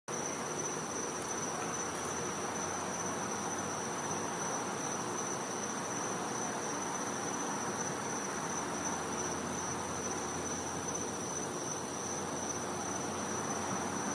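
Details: Cicadas calling at night in winter in a Florida home's back yard: one steady, thin, high-pitched whine holds unbroken throughout, over a dense bed of broadband hiss and faint low rumble.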